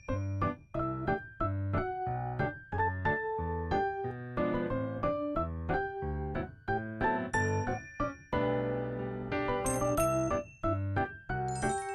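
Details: Bright keyboard music with piano-like chords and chiming notes plays throughout.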